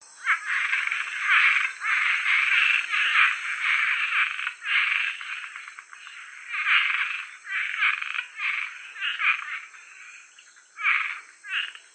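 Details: Cuban treefrog (Osteopilus septentrionalis) from Georgia giving raspy, snoring calls in uneven bursts, with a steady high hiss behind.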